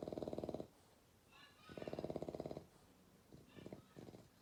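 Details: Young bulldog Clyde asleep at night, snoring loudly: rough, buzzy rattling snores lasting about a second each, separated by quiet breathy pauses, with a few shorter snorts near the end.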